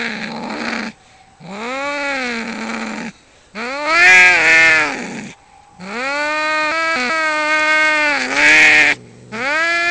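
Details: Two male cats in a territorial fight outside a home, uttering long, loud, rising-and-wavering yowls with strained, screechy peaks, broken by brief gaps and a few abrupt pitch jumps.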